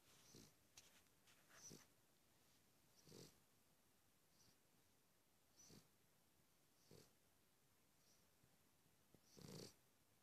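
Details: Cavalier King Charles Spaniel snoring: soft, breathy rasping snores with a faint hiss, coming at uneven gaps of one to two seconds, some louder than others, against a quiet indoor background.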